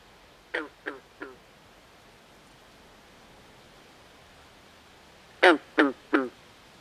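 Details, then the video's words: Nocturnal swamp frogs: a soft trio of clipped, duck-like croaks, a long quiet stretch, then a louder trio of harsh quacking croaks, evenly spaced about a third of a second apart. "Natural Ambient Sounds Of Frogs At Night"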